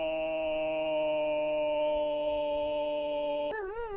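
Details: A wild wolf chorus: layered, level howls hold a steady harmonic chord, then near the end one wavering voice breaks in with rapid up-and-down pitch modulation as the other tones drop away.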